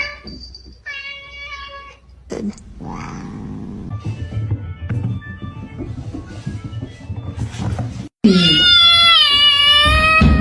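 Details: Cat calls twice: a level, even-pitched meow early on, then after a pause a loud, long, wavering meow with strong harmonics; background music and household noise in between.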